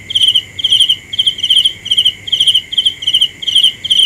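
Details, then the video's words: Short, bright, trilled cricket chirps come in quick succession, close to three per second, with a steady piercing tone running beneath them. "The best sounds of Cricket 《 Suab Kab Ciliv Quaj Zoo Heev》 ( ສຽງແມງຈີ່ນາຍຮ້ອງດີໆ )"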